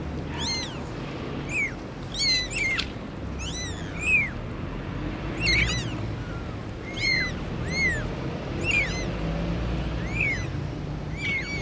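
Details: Four kittens with their mother cat: many high, arched mews from several callers, overlapping and irregularly spaced, over a steady low background hum.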